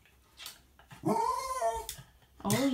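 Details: Jack Russell Terrier telling on the cat that got up on the counter: a drawn-out, arching whine-growl lasting nearly a second, followed by another rising yowl, while a person talks to the animals in a small room.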